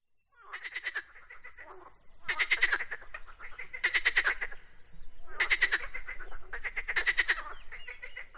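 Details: Frog singing in bursts of rapid pulsed croaks, each burst lasting about a second with a strong tone near the middle, separated by short pauses; several overlapping trains sound like more than one caller.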